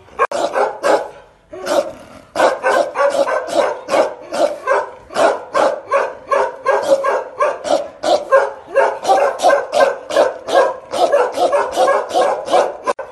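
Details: Two Bakarwal dogs, guard dogs kept to protect their families, bark aggressively. A long, nearly continuous volley of deep, rasping barks follows at close to three per second after one short pause early on.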